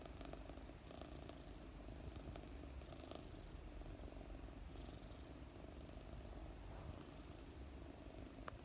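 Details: A 4-month-old female British Longhair kitten (Felis catus), sleeping while being petted, purrs steadily, a low, continuous rumbling throb.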